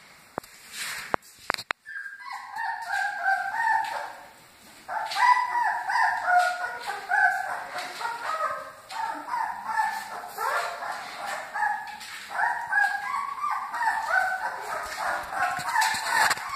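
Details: Several Great Dane puppies whining and yelping together in a steady, overlapping chorus of high, wavering cries that rise and fall, after a brief quiet start with a few clicks.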